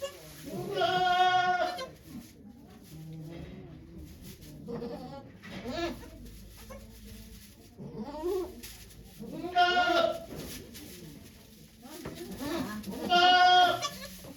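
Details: Goats at Yoshigake farm, Japan, on 3 May 2023, during the birth of two kids to the doe Okayu, with many volunteers watching. Three loud, harmonic, wavering bleats about four seconds apart, with people talking quietly in between.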